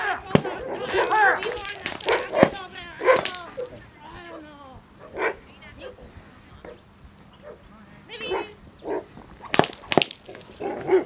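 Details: A 21-month-old female Hovawart named Akawa Ebritte in defence training, 8 March 2015. She gives sharp, loud barks in scattered bursts, a few single and some in quick pairs, with a handler talking in Slovak between them.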